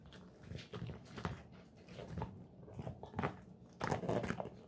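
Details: Golden Retriever named Moko eating pig ears as a snack indoors: crunchy, irregular bursts of biting and gnawing, with louder cracking chews near the end in a quiet small room.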